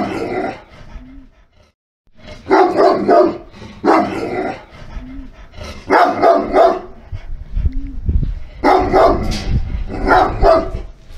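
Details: A Sarplaninac (Yugoslavian Shepherd Dog), a protective shepherd breed, gives deep, heavy barks in short bursts, with brief pauses between volleys.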